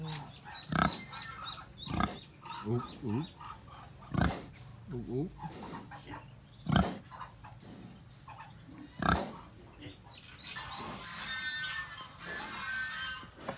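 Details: Domestic pig with piglets, kept as a home animal: short, harsh, low grunts about every two seconds, some with brief squealing pitch sweeps, over human voices and a girl's laughter.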